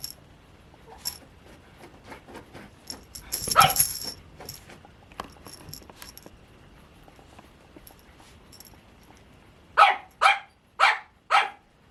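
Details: Pomeranian puppies, white and cream, at a breeder: scattered clicks and shuffling noises early on, then four quick shrill yaps in a row near the end, roughly half a second apart.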